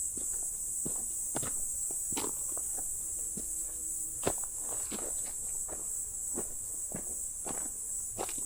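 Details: Crickets or grasshoppers chirp in a steady, high-pitched chorus beneath crunching footsteps on a quiet mountain forest hike in early October, with cicadas audible in the distance.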